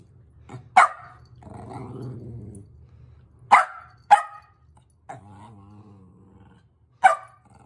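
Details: Shetland Sheepdog barking during play while urging another dog to chase him: sharp, loud single barks spaced a second or more apart, five in all, with a low rumbling growl and softer grumbles between them.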